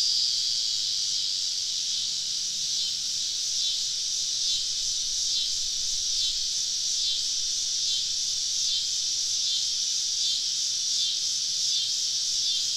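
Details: On a southern summer evening, cicadas surround a camp deep in the woods; a continuous high, sizzling drone with faint rhythmic swells, and a soft low hum briefly underneath.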